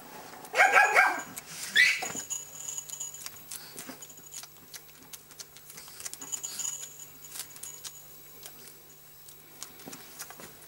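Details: Pomeranian puppy named Bello, bottle-fed because his mother Amy had no milk, suckling on a dummy indoors; two short, high, whistled squeaks near the start, then soft wet sucking clicks with a faint steady hum.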